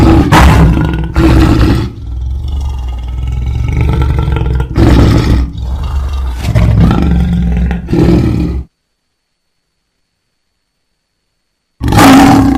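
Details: Lion roaring: deep, rough bursts with strong low rumble, several loud pulses over about eight seconds, then silence before another abrupt roar starts at the end.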